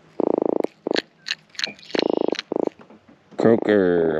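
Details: A freshly caught Atlantic croaker (Micropogonias undulatus) gives short, rapid, purring drum-like croaks, showing how loud it can croak, with a man's voice at the end.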